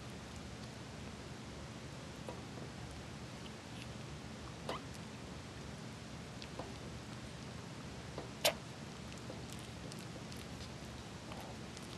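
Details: Steady low indoor hum with scattered soft clicks and one sharp tap, no animal voice.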